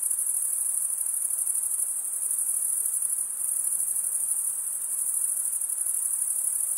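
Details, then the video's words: Shrill, even cricket stridulation from wings rubbed together, heard as a constant high trill with a slight dip in loudness around three seconds and nothing else audible. "Most relaxing cricket sound"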